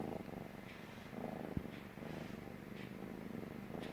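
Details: A kitten, a stray, purrs loudly on a lap for the first time, feeling safe; continuous low purr pulsing with breaths, and one sharp click midway.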